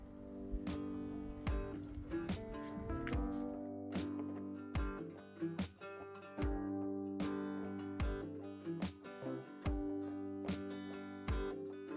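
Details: Strummed and plucked acoustic guitar music plays throughout, with no animal sounds.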